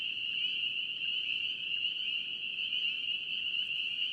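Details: North Carolina spring peeper frogs in full chorus, a continuous piercing high-pitched trill of many overlapping peeps at a constant pitch, steady in loudness, over a soft low hiss.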